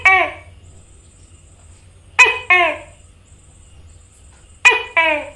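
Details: A tokay gecko (Gekko gecko) gives its loud, nasal two-part 'to-kay' call, repeated in pairs.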